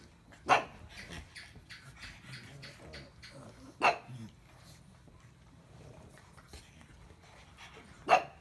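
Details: Pug heard giving three sharp, loud barks spaced a few seconds apart, with low, rumbling grumbles and snuffling sounds filling the gaps between them.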